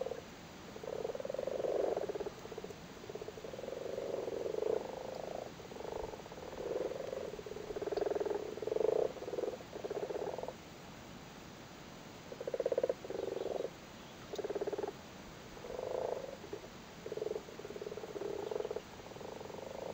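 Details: Chorus of male frogs calling while sitting on spawn in a flooded cattle grid in Cork, Ireland, in spawning season; repeated low purring, pulsed croaks from several animals, nearly continuous with brief gaps.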